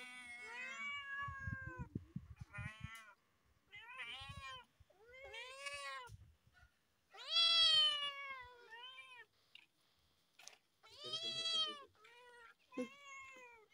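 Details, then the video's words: Loud meowing from cats perched on a car roof, a run of about ten separate whining meows of varying length, some short and clipped, others long and arched, with brief pauses and faint rustling between calls. "cute cats meowing loudly on top of a car"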